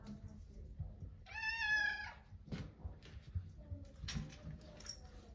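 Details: Pet American Shorthair cat in a home bedroom, happily greeting its owner who came to rest, gives one clear, drawn-out, rich meow, then a short soft chirp, with faint rustling and a quiet human voice.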